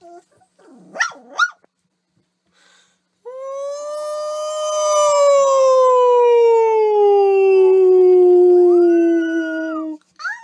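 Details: Dog from a funny dog compilation giving a long, steady howl lasting about seven seconds, slowly falling in pitch with rich overtones, preceded by two short rising yelps and ending with a brief upward yip.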